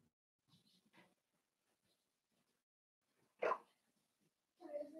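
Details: Playful Cavalier King Charles Spaniel puppies, a blenheim litter of five, romping with their mother Paris in an indoor pen; soft chatter, then a sharp bark-like yip and a higher whining yelp, with quiet voices in the room.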